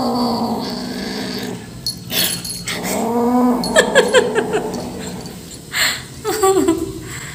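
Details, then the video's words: Rescue kitten growling while eating as a person tries to help: drawn-out low, layered growls that rise and fall, with clicks and rustling between them, ending in a short higher cry. "Rescue kitten Making Annoying 😾 Sounds while Eating"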